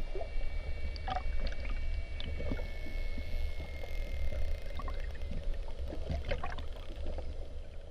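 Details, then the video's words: A curious bottlenose dolphin close to a boat gives clicks and faint whistles over a heavy low rumble of water and boat noise. "Delfin Mular / Bottlenose Dolphin / Turciops truncatus"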